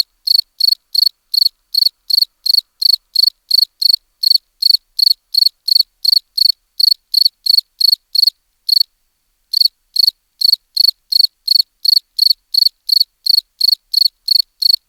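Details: Cricket chirps, brief high pulsed bursts repeated about three times per second, with one short pause of about a second midway; nothing else audible.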